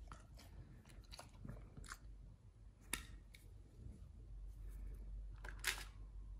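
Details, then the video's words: Raw fish, duck feet and quail eggs crunched by nomyen, a Pit Bull: scattered crisp bites and squelchy chews, roughly two per second, with a strong crack near three seconds and a burst near the end over low hum. "nomyen the Pit Bull eats Raw 3 Fish&Duck Feet combo [ASMR]"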